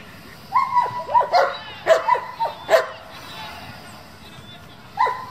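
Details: German Shepherd of a competition working group giving high, thin whining yelps with a few sharper barks between them, then a long quiet stretch before one more short whine.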